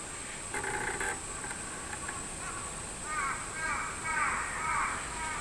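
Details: A crow caws once, then a min-min cicada (robust cicada) swells into its wavering, pulsed song rising and falling in loudness over a steady high insect hiss; recorded July 24, 2016.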